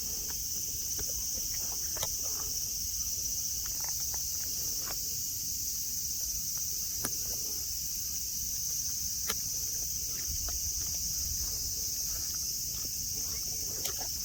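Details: Steady high-pitched cicada buzzing fills Nara Park, Japan, on a blue-sky day among grass and deer; sharp isolated clicks, likely footsteps or hooves, punctuate the unbroken insect whine.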